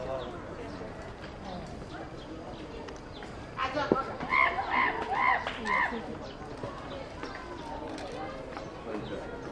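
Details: Gibbon, marking International Gibbon Day on 24 October, gives a short run of about six evenly spaced, clear hooting notes at steady mid pitch over a couple of seconds, against a background of human chatter.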